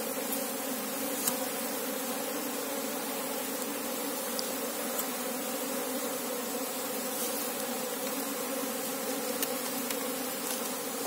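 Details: Steady droning of an Asian honey bee (Apis cerana) colony as the queen is sought; a constant low, even hum with faint clicks scattered throughout and a brief louder sound at the very end.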